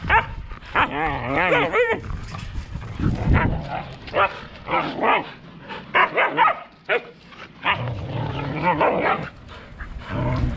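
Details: Siberian Huskies of one household, adults with pups, fighting indoors; wavering, harmonic yowls and moans at the start, then short broken growly grumbles, with a person talking over them throughout.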